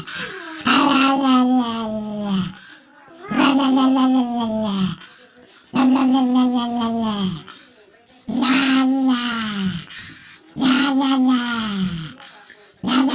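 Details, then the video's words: Pet dog's funny 'rawr' sound: five long, harmonic-rich, groaning vocalizations, each held steady then falling in pitch at the end, roughly every two and a half seconds with short silent gaps between. "Dog's Funny Sound || Rawr or a dog"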